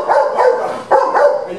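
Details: Pet dog barking as food is brought to it, demanding to be fed; two short, harsh barks roughly 0.8 seconds apart.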